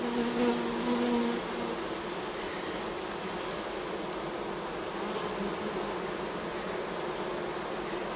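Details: Honey bees in an opened hive while a beekeeper sets up a fall split for a nuc; steady broadband buzzing hum with a brief low droning tone at the start, constant level throughout.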